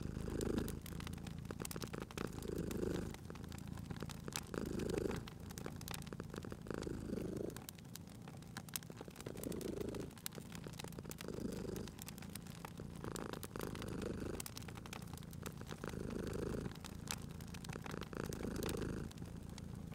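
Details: Cat resting at a crackling fireplace, purring in low rhythmic pulses that swell roughly every two seconds with each breath, while the fire snaps and crackles steadily in the background.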